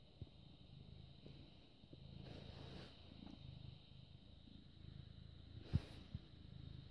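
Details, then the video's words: British Shorthair cat, born 18 August 2010, recorded indoors 6 May 2017 at 21:55, purring steadily: a low, continuous rumbling throb with soft pulses, plus one brief sharp click near the end and faint background hum. "British Shorthair Cat purring"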